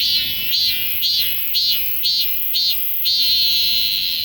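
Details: Galaxy S24 Ultra recording of a cicada: a shrill, pulsing buzz throbbing roughly every half second, six beats in a row, then smoothing into a continuous high whine.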